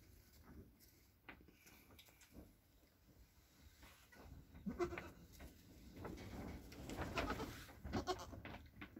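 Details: Nigerian Dwarf goat kids, a buckling and a doeling only hours old, with their mother after a late-night April birth; soft, wavering bleats come in short bursts, louder toward the end, with rustling straw and handling noise.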